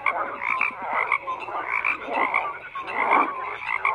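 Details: Frogs croaking in a dense chorus, overlapping rough pulsed croaks in bursts about every half second to second, with a steady higher trill running underneath throughout.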